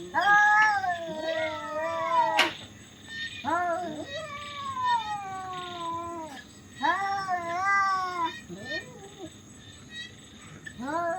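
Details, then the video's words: Fighting cats give loud, weird caterwauls: sliding, moaning howls that dip and rise, some short and abrupt, others stretched over two seconds, with a sharp click near the start and a low hum behind. "cats fight very loud and weird sound"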